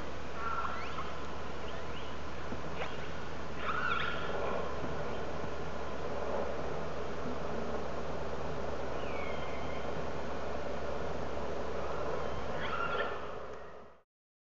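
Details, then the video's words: Wild orcas heard by hydrophone near a whale-watching boat out of Telegraph Cove, British Columbia, talking to each other: scattered whistled and pulsed calls, one clear falling whistle midway, over a steady low engine hum and water noise. "The sounds of Orca underwater"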